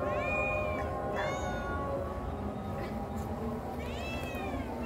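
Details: Turkish Angora cat that enjoys being outdoors: three clear, drawn-out meows, each rising then falling, the first two close together and a third after a pause, over steady low background noise.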